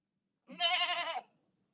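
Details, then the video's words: Goat bleating once in a longer, wavering cry of nearly a second, strongly tremulous and nasal, steady in pitch before fading out quickly; the setting is otherwise quiet. "SOM DE CABRA"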